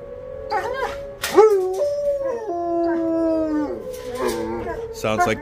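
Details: Kenneled dogs howling along with the monthly tornado siren alert test; several drawn-out howls slide down then level off, overlapping one another, while the steady siren tone holds underneath and brief clatter breaks in.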